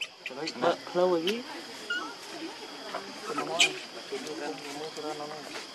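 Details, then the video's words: Baby monkey Lucie crying to be fed milk while its mother will not allow it; harmonic wavering cries rising and falling in short bursts, with a steady faint high hum in the background. "Lucie Very Need Milk But Mom Not Permit I Adorable Lovely Baby Monkey"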